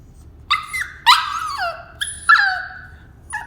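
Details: A Cavalier King Charles Spaniel gives high, nasal, falling whines, half yawning, wanting out of its cage at bedtime.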